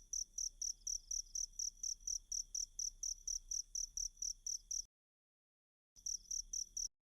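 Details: Cricket sound used to tutor a caged magpie-robin in song: evenly spaced high chirps, about two per second, running steadily, broken by a one-second gap of silence, then resuming briefly before fading.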